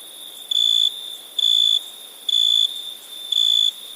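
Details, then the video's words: {'caption': 'Night cricket in India producing clear, high, steady trilled notes lasting under half a second, spaced roughly once a second, against a continuous whirring insect chorus.'} "Night ambience cricket sounds"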